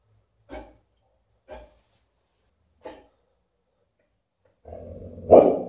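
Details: Alaskan Malamute barking at an umbrella, three short, clipped barks about a second apart, then a longer grumbling build-up ending in a loud bark, indoors.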